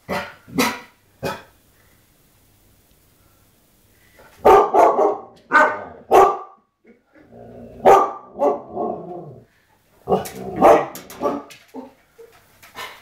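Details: Pet Siberian Huskies reacting to a TV shot of Ewan McGregor, barking indoors in irregular bursts: a few sharp barks, a pause, then clustered loud barks mixed with grumbling, whining vocal sounds.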